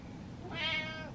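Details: Single short, clear meow from an impatient house cat indoors, rising then falling, over a low background hum before someone speaks.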